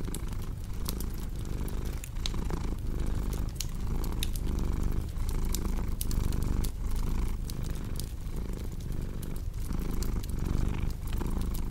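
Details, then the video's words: Pet cat's low, rolling purr rising and falling in quick rhythmic waves under frequent bright crackles and pops from a burning fireplace. "Purring Cat with Cozy Crackling Fireplace Sound"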